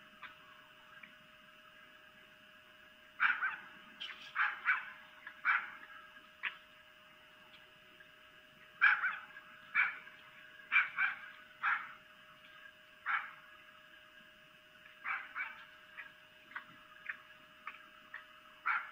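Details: At night on 3 April 2018 in Lolo, Montana, a female red fox (vixen) on her perch gives harsh, yelping mating calls in irregular bursts.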